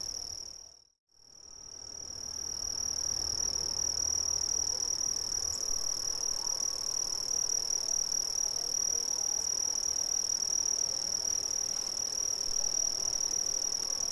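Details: Brazilian crickets: after a brief silent gap near the start, a steady, piercing high trill swells back in and holds evenly, many insects blending into one unbroken ringing band.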